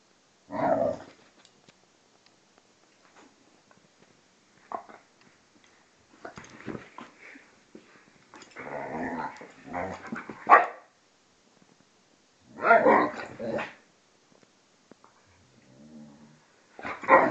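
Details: Two dogs, a vizsla and a pointer named Tarkas and Noonoo, still play fighting; scattered rough growls and snarling bursts come in short clusters, separated by near-silence and soft scuffling.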